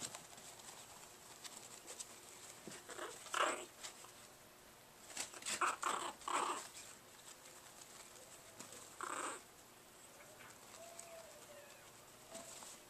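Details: Two Chihuahua puppies just over five weeks old, Baylee and Thor, a black male and a dark brown female from a Grand Champion sired litter, play-fighting on August 16, 2011; scattered short raspy growling bursts near 3, 6 and 9 seconds, quiet between.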